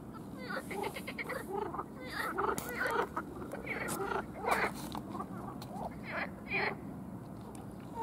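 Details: Frog; advertisement call; males calling to attract mates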